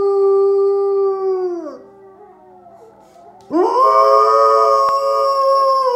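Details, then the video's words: Howling of a pet dog responding to Norwegian wolves on television: a sustained tone that slides downward and fades, a quiet pause, then a new howl swoops up sharply and holds steady. "Uncontrollably howling with the Norwegian wolves on Animal Watch"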